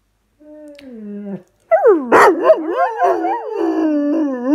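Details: Miller, a dog, reacting dramatically after dropping his toy: a steady falling moan, a brief pause, then loud wavering yowls that swoop up and down in pitch like talking, rich in overtones, one harsh burst near the middle.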